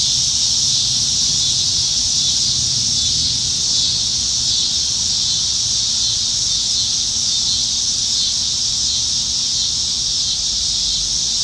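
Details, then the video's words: Evening cicada chorus in Nebraska trees during peak summer, July 2019; loud, continuous high buzzing that stays steady from start to finish, lightly wavering, over a soft low rumble. "10 Minutes of Ambient Sounds - Summertime Evenings in Nebraska - Cicadas"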